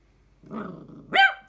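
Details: An 11-month-old male King Charles Spaniel gives a low rumbling growl, then one sharp, high-pitched yap.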